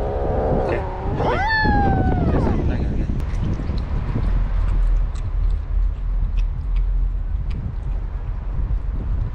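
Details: Motherless kitten, one of a litter found on the street 15 days ago and brought home, calling while being given wet food: one clear, drawn-out meow rising then falling, followed by low rumbling background noise and a voice.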